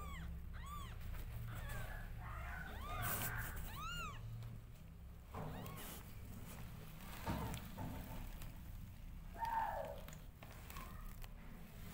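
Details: Mother cat nursing her two-day-old newborn kittens. Several high, arched, harmonic mews come in short bursts near the start and again around four seconds, with fainter squeaks later, over a steady low rumbling background.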